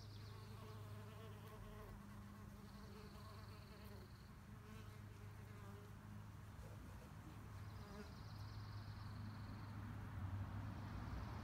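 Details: Mud-collecting female mason bees buzz steadily for their nests, a deep drone with shifting harmonics that grows slightly louder toward the end, faint high whistling tones drifting in between.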